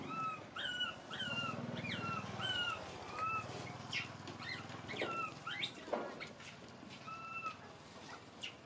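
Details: Baby monkey crying and screaming, a series of short, high, tonal wails with clear overtones, each dipping then levelling off, repeated several times per second-long burst amid low rumbling and scattered clicks and knocks.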